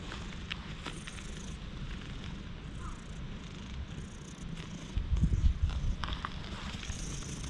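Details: Stray cat clinging to the recordist's legs in warm dappled sunlight, recorded with a GoPro: a steady low rumbling purr runs throughout and swells louder near the end. Faint high background hiss and scattered soft clicks are also heard.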